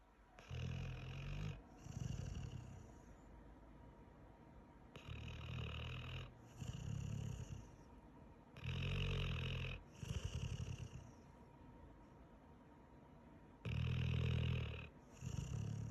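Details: Pit Bull asleep after a long day, snoring in deep rasping breaths about every four seconds, each a rough low snore with a breathy upper hiss, quiet pauses in between.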